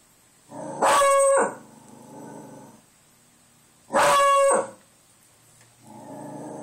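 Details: Pet dog Buster howling at the door after hearing wind outside: two loud strained outbursts about three seconds apart, each trailing into a lower droning whine, over a constant thin high-pitched hum.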